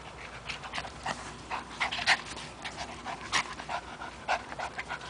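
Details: A three-year-old Chihuahua terrier named Toby, playing with a rope indoors, pants in quick irregular breathy bursts, a string of short airy puffs over about five seconds.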